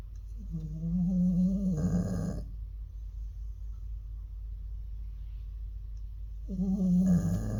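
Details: Elderly Jindo dog snoring, a problem said to worsen as it ages; a loud droning snore with a steady buzzing tone for about two seconds, quiet breathing for four seconds, then another snore begins.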